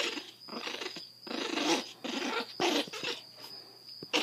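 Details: A grumpy, blind Chihuahua puppy named Zada, seven weeks old with severe hydrocephalus and rescued in Fort Worth, Texas, gives a nearly continuous run of raspy growling bursts with a steady high hum in the background.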